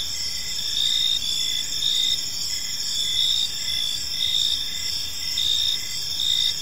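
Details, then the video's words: In a park at evening, a group of crickets keeps up an unbroken high trilling chorus, its pulses rising and falling slightly in loudness. "Cricket Sounds in a Peaceful Park"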